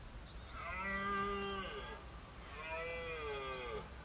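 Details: A red deer stag roars twice during the 2023 Exmoor rut at first light, as a dominant stag among hinds is mobbed by a smaller stag and six prickets; long drawn-out bellows with a rich, throaty tone.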